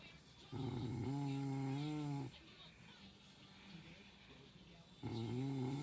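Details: ['Low humming snore from a sleeping dog, about two seconds long, slightly wavering, followed by a quiet breath and the start of the next snore.']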